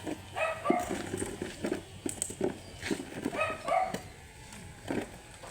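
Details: Matted Shih Tzu, angry during a grooming session, giving a run of short, bright barks and yips roughly every second, with faint clicks and handling noises between them.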